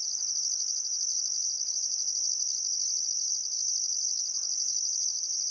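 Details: Crickets chirping on a still summer afternoon at sunset by the Barcoo River, Welford National Park, Outback Queensland, Australia: a dense, steady high-pitched trill with a second pulsed high band in regular bursts of about a second.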